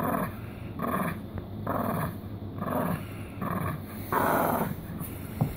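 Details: Small poodle producing a steady run of gravelly growls, each under a second long with short gaps between, the last one slightly louder and brighter.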